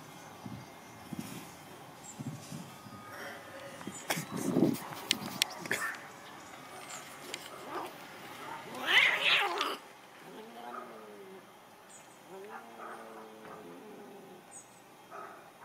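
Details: Two cats fighting, recorded on 8 November 2015: scattered scuffling, then a loud rising yowl around nine seconds, followed by drawn-out, wavering low moans repeated twice over a steady background hiss.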